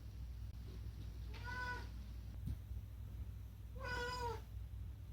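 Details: Indoors, the talkative rescued cat Unagi makes two meows about two seconds apart, the second louder and drawn out with a rising then falling contour, over a steady low hum.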